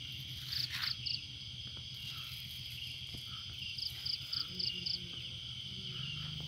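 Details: Night-time crickets in a lonely garden give a constant high ringing tone, topped by quick runs of sharp chirps in twos and fives, over a low humming background.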